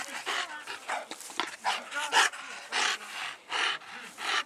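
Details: Dog panting among mastiff-family breeds such as English bulldog, bull terrier and American bully: quick, breathy, broadband huffs repeated roughly every half second in steady bursts, with no other clear sounds.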